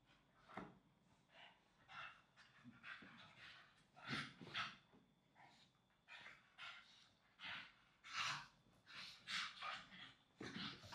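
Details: Sibling English Staffy pups rolling and wrestling on a soft blanket at home; scattered breathy snorts and panting puffs, louder clusters near the middle and end, with quieter gaps between.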